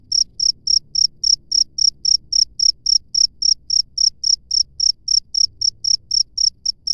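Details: Loud wild cricket chirp, a shrill pulse repeated evenly between three and four times a second throughout, with faint low hum and rumble in the background.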